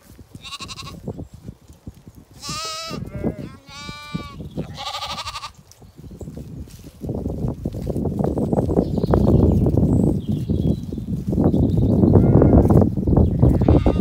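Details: Lambs with their ewes feeding at a dry dawn on a regenerative Zwartbles farm in County Kilkenny, Ireland; several loud, wavering harmonic bleats in the first six seconds, then heavy low rumbling and munching noise dominates.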